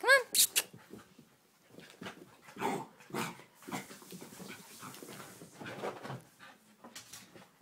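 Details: Playtime between a puppy and another dog, Chance and Khalen: a few shrill yelps right at the start, then breathy panting and rustling scuffles, with human voices talking nearby.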